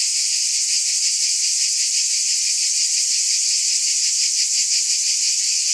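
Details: A constant high, hissing cicada buzz with a quick throbbing beat, steady in level across the whole stretch.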